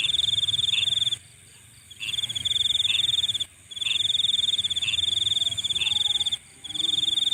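Night insects keep up a continuous high-pitched trill, shimmering and rapidly pulsed like crickets. Softer chirps sit just beneath it, and the chorus cuts out abruptly for brief moments before resuming.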